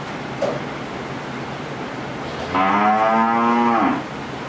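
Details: A 13-month-old Friesian heifer calf on a farm in Pabna, Bangladesh, gives one steady, level moo of about one and a half seconds over a constant background hum.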